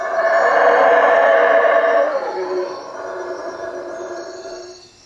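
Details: Howler monkeys calling at night from the treetops above a hut at Lake Peten Itza, Guatemala; a loud, broad roaring chorus swells for two seconds, then fades into lower, steadier droning howls with a faint high whine.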